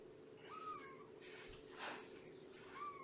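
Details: Morning at Purrfect Pals with Shelby, an estimated two-year-old female cat: two brief, high meows about two seconds apart, with soft rustling and a short noise burst between them, over a low indoor hum.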